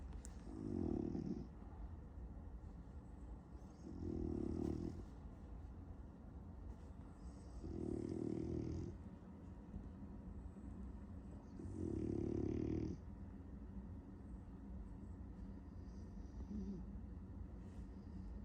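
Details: A French Bulldog sleeping and dreaming of chasing cats snores in deep, rumbling breaths, one roughly every four seconds.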